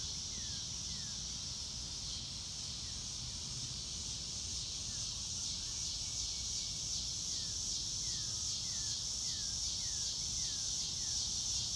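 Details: Crickets on a sunny blue-sky day in grass, recorded in real time with no music: dense, steady high-pitched pulsing chorus, with repeated short falling whistles from a bird and a low background rumble.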